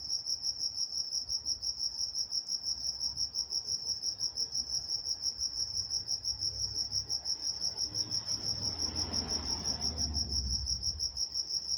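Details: Nocturnal crickets in Walnut, California keep up a regular shrill pulsing chorus, about three pulses a second, while a passing vehicle-like rumble swells and fades in the low range near the end.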